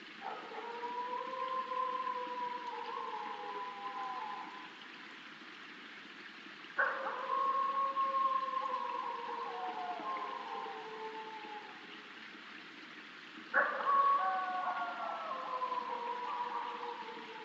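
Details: Eastern coyotes in the northeastern US give long, deep, wolf-like howls in drawn-out waves that slide slowly downward.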